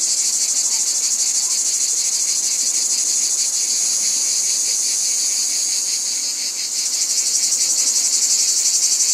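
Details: Loud cicada chorus, a continuous high hiss-like buzz with a rapid regular throb; it briefly softens and shifts near the end before surging back.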